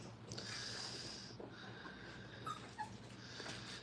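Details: Five-week-old Brittany puppies playing indoors in a crate during crate training, with treats and little toys inside. A high, thin whine holds for about a second, then fainter shorter whimpers and squeaks follow over soft rustling and room noise.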